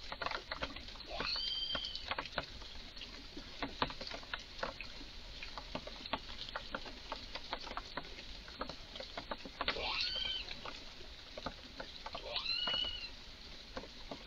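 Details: Excited red squirrel making odd noises in a garden: dense, irregular dry ticking and clicking throughout, broken by a few high, arching whistled cries, one early and two close together near the end.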